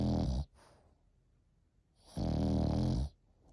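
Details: An eight-month-old Frenchie snores, two coarse, buzzy breaths with a deep rattling tone, the second nearly a second long, with a quiet gap between them.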